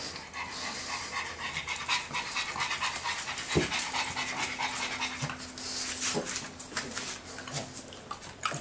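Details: Pug panting: quick, breathy rasps of air repeated a little over twice per second in an uneven rhythm, with a steady low hum running underneath throughout.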